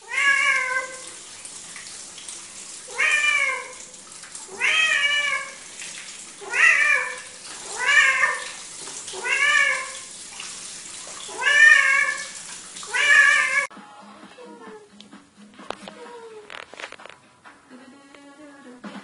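A Siamese cat gives loud, drawn-out meows, each rising then falling, repeated about every second and a half.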